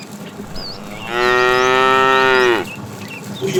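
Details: In the afternoon, while a herd of tame cows is driven along, a fat cow gives a long, loud moo, steady and slightly falling at the end, calling to a female.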